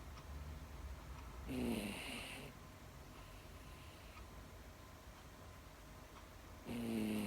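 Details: Pet Miniature Dachshund female dog asleep indoors, snoring: two breathy snores roughly five seconds apart, each a raspy low drone with a sliding tone and hissy upper noise, quiet room between.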